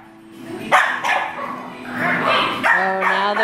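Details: Two Scottish Terrier puppies, four and five months old, yap indoors while Bee Gees music plays, producing uneven bursts of high, harsh barks over steady musical tones from the stereo.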